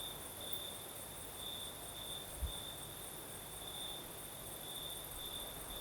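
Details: Crickets singing at night in southern Crimea with a night breeze: a steady high chirping trill pulsing about twice a second, a fainter higher insect hiss above, soft wind noise, and one brief low thump midway.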